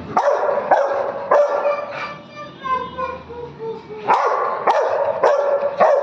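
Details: Rottweiler puppy barking in short, sharp bursts: about four quick barks, a pause with softer rising whines, then four more barks in a rough half-second rhythm, with background music and a voice calling.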